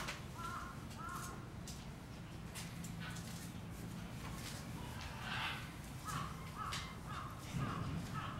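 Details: A young male gorilla at Kyoto City Zoo, January 2022, gives loud, short, harsh squealing cries in bursts, furious at his mother.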